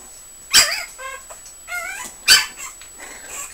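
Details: Five-week-old Puggle puppies, born in March 2011, give sharp high yips at about 0.6 and 2.3 seconds, with thin whining whimpers in between, some rising and falling, over a quiet indoor background.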